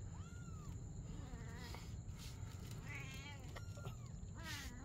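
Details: Playing together at night, a mother cat and kitten give drawn-out meows, one long level cry and several wavering, vibrato-like calls, over a low droning background.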